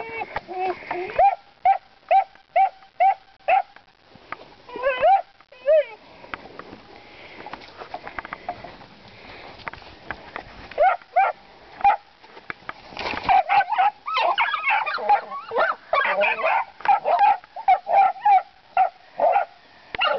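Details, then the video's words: Puppies Whiskey, Queenie and Princess begin learning to bay at hogs, giving a quick run of sharp, evenly spaced barks, then scattered barks and yips mixed with a man's voice calling to one of them and some sniffing. "Puppies barking at the pigs"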